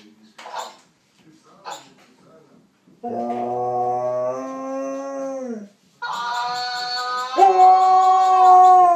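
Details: Howling Husky, quiet at first with a few soft sounds, then a steady mid-pitched howl lasting nearly three seconds that bends down at its end, followed after a short pause by a higher, strained howl with rich overtones.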